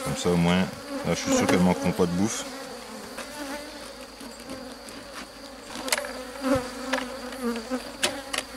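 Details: Honey bees of a drone-laying colony being rescued on 3 May 2021, after a brood frame with nurse bees from the hive next door was introduced; a steady low hum with scattered crackles follows a few seconds of a man talking.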